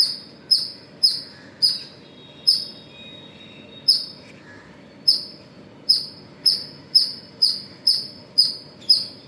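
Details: Morning squirrel call at Pozhichalur, a run of short, piercing high chips, some in quick pairs and others separated by brief pauses of a second or more, over quiet low background noise.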